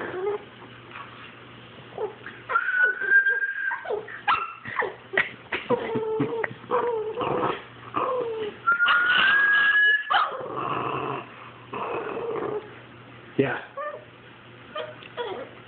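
A Boston Terrier answers a rising whistle with whimpers, yips and wavering howl-like cries.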